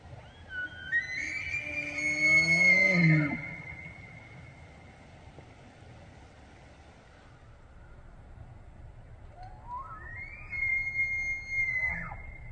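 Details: September rut in Banff, Alberta, Canada: a bull elk bugles to claim females and threaten rivals; a loud sustained high whistle with sliding harmonics and low grunts, then a second shorter rising bugle near the end.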